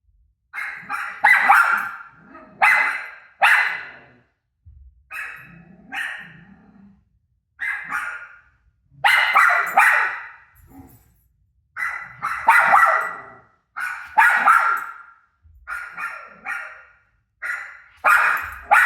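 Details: Rosie the dog keeps barking back at a TV replaying her own barks. Bursts of two or three sharp, resonant barks repeat every couple of seconds across a long stretch, with short quiet gaps between runs.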